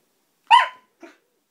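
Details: Siberian husky named Roxy at play gives a single loud, sharp bark with a rich harmonic stack, followed by a faint short echo-like yelp; otherwise quiet.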